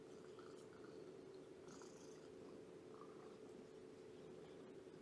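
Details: Shelby, an abandoned female cat about two years old, now at Purrfect Pals, purring steadily during a morning visit; a low continuous rumble with faint scattered higher sounds above it.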